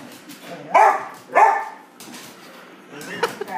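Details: English Springer Spaniel excited before dinner, giving two loud barks about half a second apart, then quieter sounds and a person speaking.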